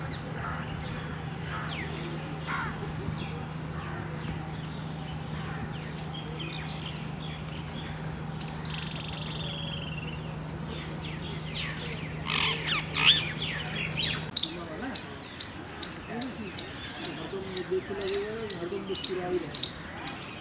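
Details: Indian palm squirrel in the wild during mating, recorded 19 February 2021: sharp, clicky chirps repeated at a quick, steady pace in the second half, over constant background hum, other bird calls and faint voices.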